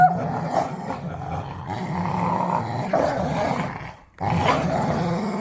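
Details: Dog during tug play: a continuous, rough, low growl with faint whining overtones, broken by a short pause before the growling resumes.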